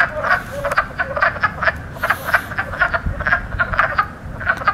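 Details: Spring wood frogs calling in chorus, their inflated sacs near the lungs powering the croaks; short clucking, duck-like notes come rapidly and overlap, several frogs at once, with a low rumble of background noise.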